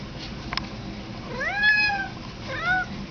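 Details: House cat replying to a person urging it to say hello: two clear, tonal meows about a second apart, each sliding up and then down, the first longer and the second shorter.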